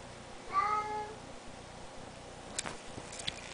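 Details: Bengal cat uttering a single clear meow that rises then eases down for about half a second, followed by a few soft clicks and taps.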